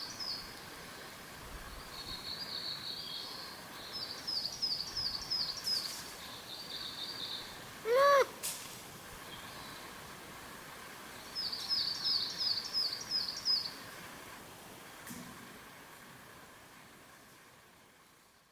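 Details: Wild Japanese macaque giving one brief, clear, rising-then-falling tonal coo, seemingly to keep in touch with companions, between two runs of fast, high-pitched bird chirps over constant outdoor noise that fades toward the end.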